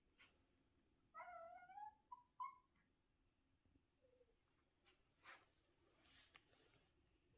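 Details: Domestic cat in the morning giving a rising-then-falling harmonic meow, then two brief clipped chirps, a soft low murmur, and scattered rustling and knocking noises toward the end.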